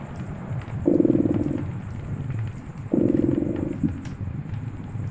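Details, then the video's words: Rhythmic purring of a cat by a fireplace, two strong buzzing swells about two seconds apart over a continuous low rumble, with occasional sharp crackles from the fire. "Purring Cat"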